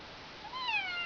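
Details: Excited domestic cat attacking hands; a single short meow, rising then slowly falling with clear harmonics, about half a second long, in a quiet room.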